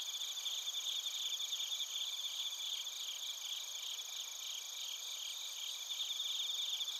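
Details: Quiet massed chirping of bell crickets and other crickets at Narita, Chiba, Japan, on a TASCAM Portacapture X8: rapid high-pitched pulses repeating continuously in overlapping layers.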